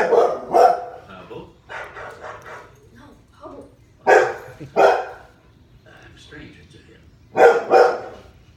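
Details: A six-month-old Bernese mountain dog barks at dogs on TV, giving loud, deep barks in quick pairs, with voices murmuring between them.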